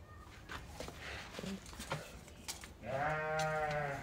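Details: Pregnant ewes at a livestock sale: after clattering and shuffling noises, one long wavering bleat with rich harmonics starts near the three-second mark and lasts about a second.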